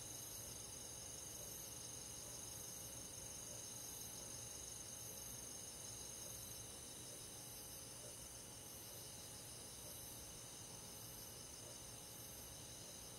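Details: Countryside forest at night in midsummer, crickets among other insects: a continuous layered high-pitched chirping with regular rapid pulses, unchanging in loudness from start to end.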